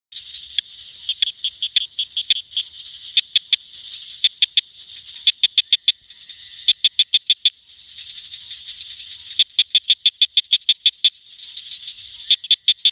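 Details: Southern cricket frog calling in the Lower North Carolina Sandhills, giving sharp, high clicks in quickening bursts over a steady insect-like trill.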